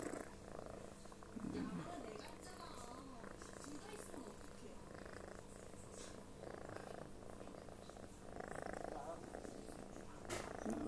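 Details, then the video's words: House cat deep asleep and snoring, described as tired out after heavy work; a sustained low grumbling rumble with breaths swelling roughly every two seconds, and quiet human speech at times. "kucing ngorok kayak abis kerja barat aja"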